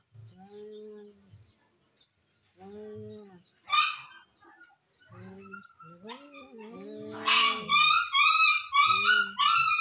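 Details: Dueling cats utter moaning yowls in short arching phrases, then break into harsh hissing spits and rising, screechy wails as the fight intensifies, with a faint steady hum behind.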